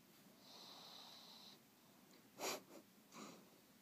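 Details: Sleeping pug Monster gives a long thin wheeze, then a sharp snort and two shorter snuffles close together near the end, indoors in a quiet room.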